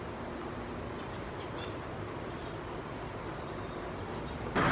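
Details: Cicadas sing a continuous, shrill, sizzling, unbroken buzz over a faint low rumble of traffic and wind in McKinley Hills, Bonifacio Global City, Taguig, Manila, Philippines, amid condos and a residential area.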